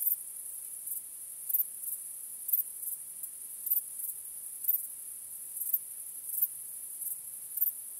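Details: Night chorus of crickets, a continuous thin high-pitched ringing with irregular louder chirps roughly every second, and no other clear sounds.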